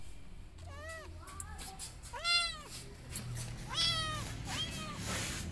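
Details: Hungry, burnt and wounded stray kitten rescued and taken home to be fed; a run of four or five loud, arching, high-pitched meows, each rising then falling, repeated roughly every second over low background hum.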